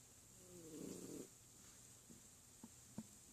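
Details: A dozing cat lets out one drawn-out, gravelly snore lasting about half a second, then quiet broken only by a few faint ticks.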